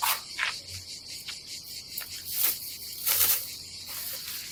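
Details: A high, even cicada drone fills a summer day at an Adriatic campsite in Croatia, its rapid pulsing steady beneath several soft swishes and thumps of nearby activity.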